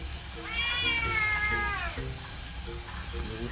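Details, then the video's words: Pet cat talking back to its owner: one long, slightly wavering meow lasting over a second, sliding downward at the end, then soft short chirping murmurs, with a person speaking and faint music behind. "집사한테 말대꾸를 끊임없이 하는 고양이"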